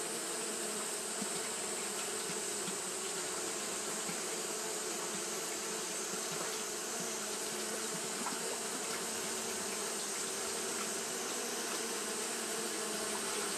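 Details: Continuous fanning by Japanese honey bees during hot weather produces an unbroken buzzy drone, low and slightly wavering, with a constant shrill hiss running above it throughout.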